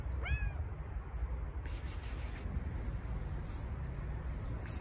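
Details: Fluffy stray she-cat being fed with other neighbourhood strays gives a single brief rising meow at the start, followed only by steady low rumbling background noise.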